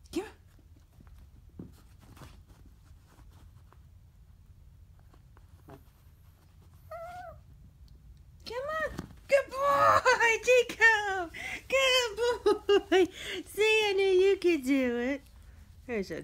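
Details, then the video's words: Chihuahua named Chico, indoors in a bedroom, wanting to get up on the bed: after quiet moments, a burst of high, wavering whines comes in rapid repeated arcs that rise and fall, with a person encouraging him to jump. "Chihuahua Wants On The Bed"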